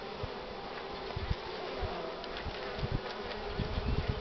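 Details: Honey bees packing the hive entrance, laden with pollen, under strong sun on a cool March morning in 2019; busy humming mixed with frequent low thumps and rustles close to the recorder.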